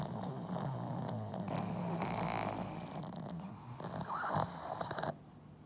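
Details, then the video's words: Pugs from a multi-dog household snoring loudly together: a dense, gravelly rattle with quick fluttering pulses throughout, cutting off abruptly near the end to quieter room noise. "【パグ】いびき動画集 多頭飼いで爆音がシンクロ"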